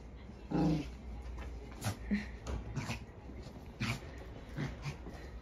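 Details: Maltese dog, indoors and eager to go for a walk, gives one short harmonic whimpering cry near the start, followed by scattered soft yelps, snuffles and clicking movement noises over a quiet background.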